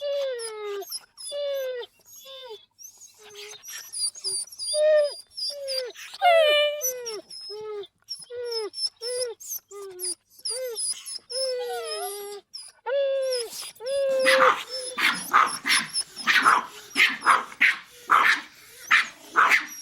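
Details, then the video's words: Small dogs whimpering in short, falling, whistle-like cries, one after another, then breaking into a run of sharp, harsh barks in the last few seconds. "Sounds of small dogs"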